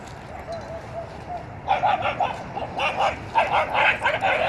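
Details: Dietz, a 4-month-old Schnauzer puppy at a dog park: faint whines at first, then a run of high, sharp yapping barks in quick bursts of two and three, with a woman's voice nearby.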